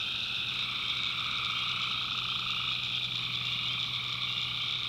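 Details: Many tree frogs call together after dark in the North Carolina backwoods: a dense, ringing chorus of high trilling notes with a steady low tone beneath.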